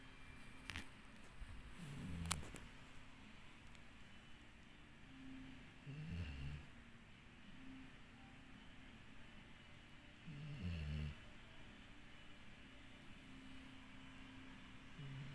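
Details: Snoring from Dixie, a pet dog: three low, throaty snores spaced about four seconds apart, with a few sharp clicks and rustles near the start and a quiet indoor background.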